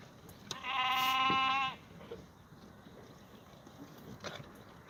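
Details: Black goat at a farm in Gimhae, South Korea, in the goat exercise yard on a clear Tuesday morning, 2 April 2019: one long, loud, steady nasal bleat lasting about a second, then a faint distant call and low yard noise.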